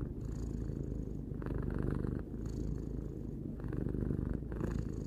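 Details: Continuous low purr from a three-year-old house cat, rhythmic rumbling that strengthens and softens with each breath roughly every two seconds, calm and uninterrupted.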